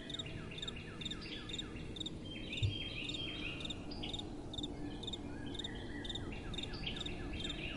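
Crickets chirp steadily at night in short, high pulsed bursts over a soft wind rumble.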